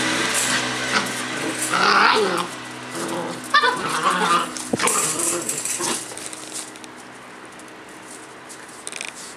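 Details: Collie puppy, 57 days old, outdoors, filmed 9 March 2012: a few high, harmonic yelping barks cluster near the middle, over a broad rumbling background noise that settles into a steady hiss toward the end.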